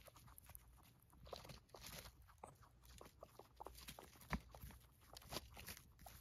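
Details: Pet guinea pigs, a group of females, munching hay indoors: rapid dry crunches and brittle snaps of stalks in quick irregular bursts, a few louder bites standing out, with faint background hum throughout.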